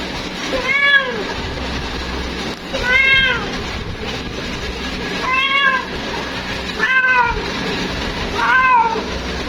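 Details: Female domestic cat calling for her mate: five drawn-out, arching meows with rich stacked harmonics, each rising then falling, spaced about every two seconds over a steady low background hum.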